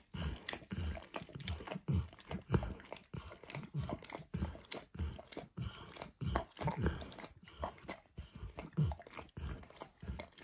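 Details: Max, a pet dog, licks a bumpy orange mat smeared with eggs and diluted peanut oil: wet, smacking tongue strokes come in quick irregular bursts, about a hundred a minute, low and close in a quiet room.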